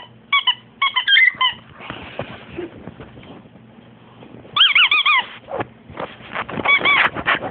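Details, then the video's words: Betty, a female French Bulldog, freaking out indoors and screaming: short bursts of wavering, high squealing cries with bright stacked overtones, separated by snuffling, scuffling pauses, then a longer warbling scream near the end. "frenchie freek out"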